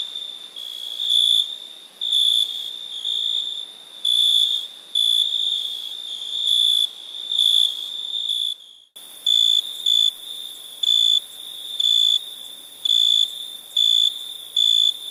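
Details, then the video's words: Crickets at night give shrill pulsed chirps, about one a second, over a constant high ringing. An abrupt cut partway through is followed by crisper, evenly spaced bursts. "Night ambience cricket sounds"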